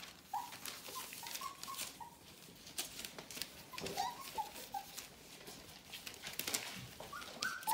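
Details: Nearly four-week-old Bohemian Shepherd puppies of the "F" litter whine in scattered thin, high squeaks, single or in pairs, spread across the stretch, with frequent light clicking and rustling between them.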